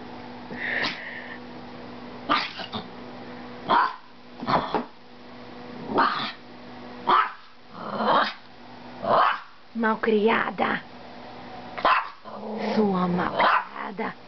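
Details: Maltese dog barking repeatedly in short bursts roughly once a second, with a person speaking at times alongside the barks.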